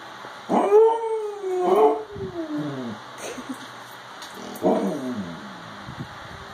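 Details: Siberian Husky whining for attention, pouty and sassy: drawn-out, wavering, falling moans in two long phrases, then a softer trailing whimper and a short final whine, a person having just asked what he is trying to say.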